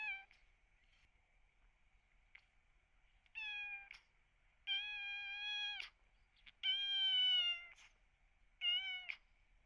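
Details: Kitten rescued while suffering cat flu, with heavy eye discharge, crying in drawn-out, plaintive high meows, some over a second long and slightly falling at the end, with a pained tone; a steady faint high hum persists between cries.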